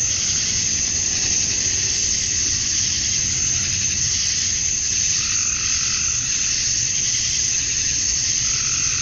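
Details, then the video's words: Male cicadas calling for females at dusk on a Georgia, USA summer night form a relentless high buzzing wall of sound, with brief, quieter mid-pitched swells weaving through it. "Cicadas at Dusk, Summer Night"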